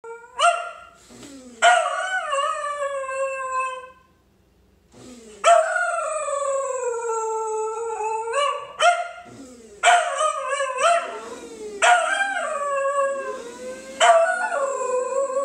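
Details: A Pembroke Welsh Corgi howls at a coffee grinder in long, wavering notes that slide downward, with brief breaks between them, as someone laughs.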